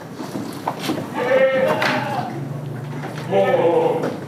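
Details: Goats on a village farm with Damascus and Jamunapari breeds, two quavering bleats over a steady hum and background noise.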